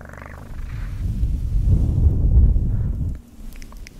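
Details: Domestic cat purring close to the microphone for an ASMR recording: a deep, throbbing low rumble with rapid pulses that swells through the middle, then drops away after about three seconds, leaving faint soft rustling.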